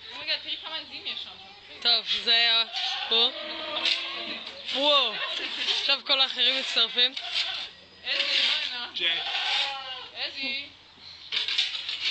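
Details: Goats (Capra hircus) give loud, weird, quavering bleats wavering up and down in pitch, with human voices mixed in; Goat.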